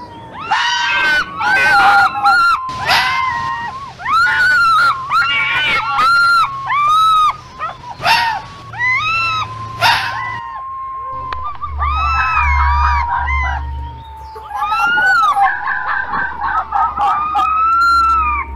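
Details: Foxes calling out to each other during the mating season: a busy chorus of wavering, arching squeals and screams, many voices overlapping, over a low background rumble.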